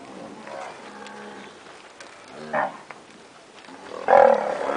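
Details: Standard purebred Nelore cows that have recently calved, heard in short harmonic lowing bursts, one near the middle and a louder, rougher call at the end, over a quiet background with faint scattered noises.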